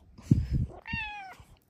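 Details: Bengal cat Luxey meows indoors in the morning: a single drawn-out, slightly falling meow lasting about half a second, after thumps and rustling of blankets, with a person greeting her warmly right after.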